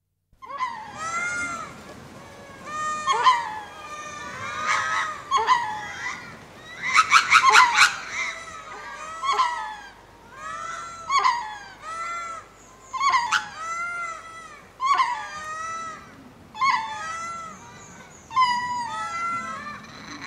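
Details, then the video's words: Ring-tailed lemurs giving spacing calls as they go to roost at Berenty Reserve, Madagascar: overlapping wailing, mewing cries with rich overtones, several voices calling in bursts roughly every two seconds, some rising and falling. "Ring Tailed Lemur / Spacing Calls On Going To Roost"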